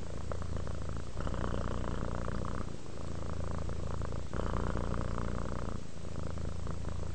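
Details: Purring cat at rest, low continuous rumble broken into breath-length phases of about one to one and a half seconds, short pauses marking each switch between inhale and exhale.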